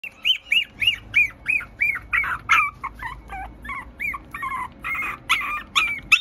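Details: Teacup Poodle x Maltese mix puppy giving a rapid run of high, arched whining yelps, about three per second, each a brief rise-and-fall cry, slightly uneven and growing harsher toward the end.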